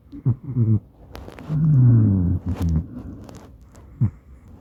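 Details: Maine Coon named Madoka snoring while asleep beside its owner, captured on a smartphone indoors: short throaty grunts, then a long low droning snore with a slight downward slide, and a brief snort near the end.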